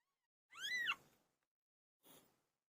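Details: A single clear, arched meow from PILO, a domestic cat giving birth, rising and falling over half a second, followed after a pause by a short, soft breathy sound.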